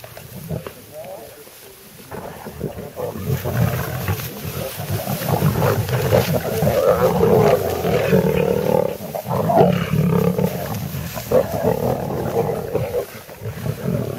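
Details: Lions on a kill at Sabi Sabi Private Game Reserve during a safari game drive, giving deep rumbling growls and snarls that swell and fade over several seconds, with low vehicle-like hum and faint voices underneath.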